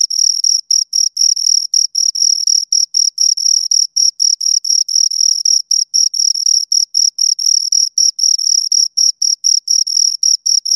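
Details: Two crickets stridulating: bright, high-pitched chirps repeated around four per second in a brisk, somewhat irregular rhythm, clean background with no other noises.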